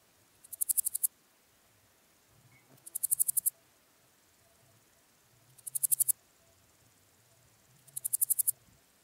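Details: Styrian gold grasshopper singing at Zirbitzkogel, Austria, on 5 September 2019: short, high, rasping phrases of rapid pulses, each under a second, repeated about every two and a half seconds against a quiet background.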